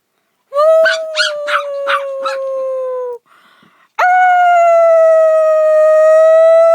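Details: Dog howling: a long steady tone that sinks slowly, broken at first by a few sharp yips, then a short pause and a second sustained howl that holds level to the end.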